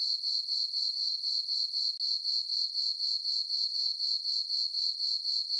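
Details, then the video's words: High, tinkling cricket chirps from a meadow on a farm during a full-moon summer night, rapid regular pulses about four a second, with one brief dip in the steady rhythm. "Cricket chirping sounds for sleeping"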